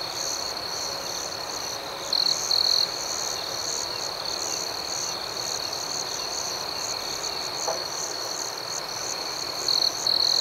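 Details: Crickets at night, a constant high trill with regular pulsing chirps, plus short louder chirp bursts near the start and again at the end.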